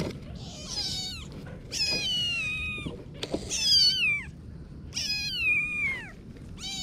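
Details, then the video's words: Kitten's loud, insistent meows, four long calls that start high and slide downward, spaced about a second and a half apart, with light thumps between them. "Little Kitten Adventures (New Video) - Kitty Video Meowing"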